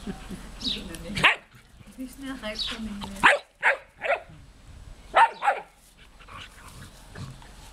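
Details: A smooth collie named Juste and an old labrador named Luna playing together; short sharp barks and yips in bursts around one, three to four and five seconds, with growly low vocal sounds between, and a human voice briefly heard.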